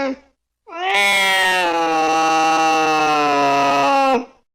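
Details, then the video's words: A single long, loud, steady meow from a cat, held for about three seconds with a slight quaver, after a short clipped cry; used to drive rats and mice away. "Tiếng mèo kêu đuổi chuột hiệu quả, chuột sợ bỏ chạy té khói Sound of Cats to scare the Rats"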